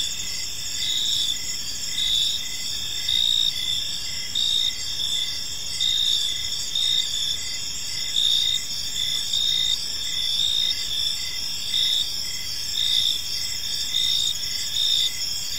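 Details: Evening park crickets form a continuous shimmering high-pitched chorus, several overlapping trilling voices with short bursts swelling roughly once a second, over a soft low hum of distant background noise.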